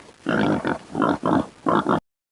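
A pig gives rough, nasal oinking grunts in three quick pairs, each pair a long grunt followed by a shorter one, over about two seconds.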